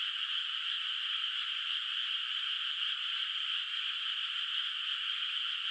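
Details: Distant frogs in a moonlit, still-unplanted rice field at night form a continuous high-pitched wash of overlapping calls, even in loudness throughout, with no other sounds.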